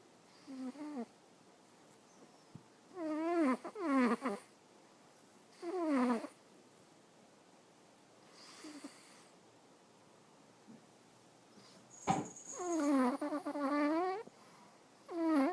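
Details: Awaru, a sleeping cat, snoring in a quiet room: breathy, whistling snores in wavering, falling bursts every two to three seconds, some bursts doubled, with near silence between.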